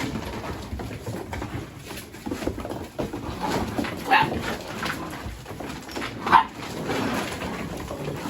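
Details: Mini Goldendoodle puppies playing with boxes, chasing each other and rolling around together; two short, sharp puppy yips stand out over steady scuffling, thumping and rustling of their play.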